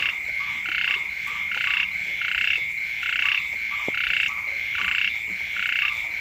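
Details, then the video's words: At the onset of the rainy season, frogs call next to a house in a steady pulsing chorus. Buzzy bursts come at a regular pace of nearly one per second over a ringing background tone. "เสียง กบ เขียด ร้อง อยู่แคมบ้าน"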